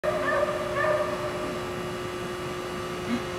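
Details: Female Shih Tzu puppy giving two short, high whimpering whines within the first second, then quieter, against a steady low electrical hum.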